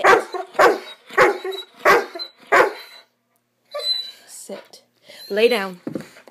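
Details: Swiss Mountain Dog puppy named Bower during one of its excited "bad dog runs", giving a quick series of sharp barks about every half second, then quieter yelps mixed with human voices in a small indoor room.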